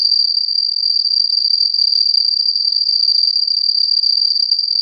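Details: Cricket with a very characteristic sound intensity, used in a listening exercise; an unbroken, shrill, even trill holds at one high pitch for the whole stretch.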